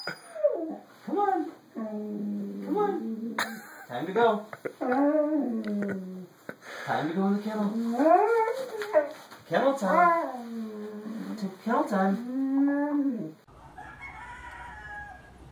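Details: Siberian Husky making a long series of wavering, whining howl-like vocalizations indoors, pitch sliding up and down in rapid bends, with short breaks between phrases and faint background music at the end.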